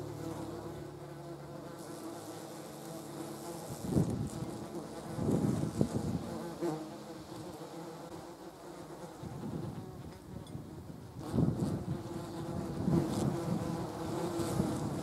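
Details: Yellow jackets, German wasps, gathered on a jam jar; overlapping low wing buzzes hum throughout, with louder sweeping bursts as individual wasps fly past or take off near the microphone.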